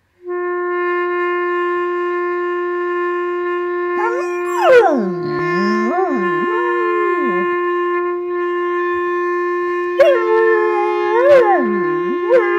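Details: A dog howls along to a clarinet, 'singing' in wavering, sliding notes over the clarinet's held tone.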